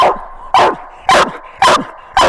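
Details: Coonhound named Widow Maker, daughter of two-time world champion Grays Rack Em Willy, out coon hunting at night; five loud, sharp barks spaced about half a second apart, each with a falling tail.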